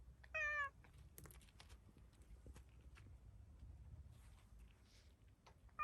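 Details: Stray black-and-white tuxedo cat, startled after being petted, meows toward the camera: one short, bright, slightly wavering meow near the start, then only low background rumble and faint clicks.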